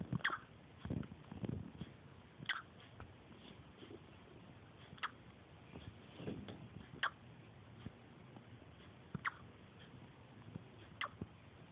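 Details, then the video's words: Riley, a Pungsan puppy 5.5 weeks old, hiccuping: short, sharp, squeaky hics recur roughly every two seconds, six across the stretch, over soft low rustling and handling noise indoors. "Puppy hiccups"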